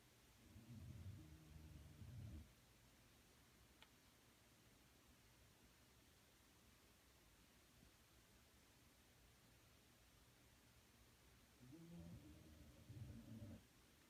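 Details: Punchi, a dog asleep and snoring: two low, rough, rumbling breaths, each lasting about two seconds, roughly eleven seconds apart, with faint room hiss between them.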